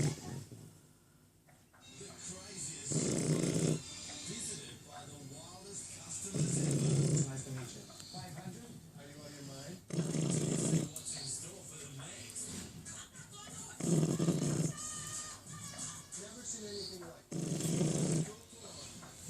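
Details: Shar Pei puppy snoring while being pestered in its sleep: low rumbling snores in bursts about every three to four seconds, with voices and background noise between them.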